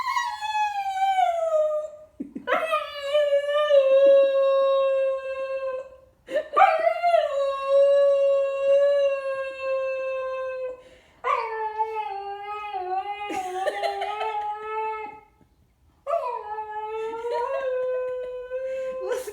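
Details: Enzo, a Siberian Husky puppy, throws a howling temper tantrum indoors because he wants to keep playing with his new toy instead of going to the bathroom. Five long, drawn-out howls each start high and slide down, with brief pauses between them.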